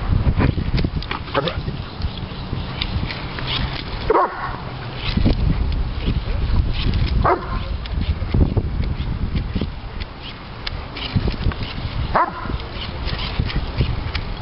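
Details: Three-year-old Doberman Pinscher Diesel in a frenzied fit over bubbles: sharp barks come every few seconds amid snuffling and thumping, with human voices talking in between.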